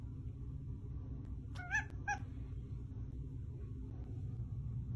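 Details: Domestic cat meowing when asked whether it wants more pets; two short harmonic meows in quick succession, the first slightly longer, over a low steady indoor hum.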